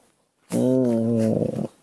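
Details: A single drawn-out, even wail from baby monkey Nomi, upset at being hugged, held for over a second before fading with a rough edge, inside a small room.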